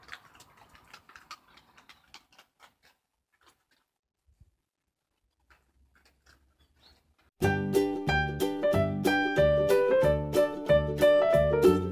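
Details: Soft scattered clicks and taps fade almost to silence, then loud rhythmic keyboard music starts about halfway and plays to the end, with no dog voice heard.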